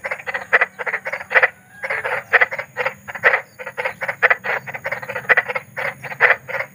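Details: Eerie night chorus of big frogs in nature: grating croaks in bursts of quick pulses, about one group per second, several frogs overlapping, low faint hum in the background.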